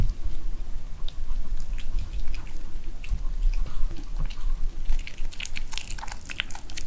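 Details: Pet dog Seol-i eating homemade dog-safe kimchi of cabbage, paprika, cherry tomato, spinach, carrot and sweet potato wrapped with Korean beef shank in kimjang season, indoors; wet smacking chews and crisp crunchy bites, growing sharper and denser toward the end.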